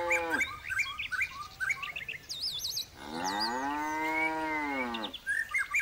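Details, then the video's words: Large bull mooing: a brief moo opening, then a long, even bellow of about two seconds; birds chirp and trill brightly around it, including a wavering whistled call. "sapi moo // sapi jantan jumbo"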